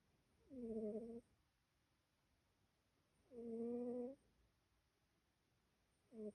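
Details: Snoring of a sleeping female pet cat: a nasal, tonal hum with steady harmonics, each snore lasting just under a second and recurring about every three seconds in a quiet room.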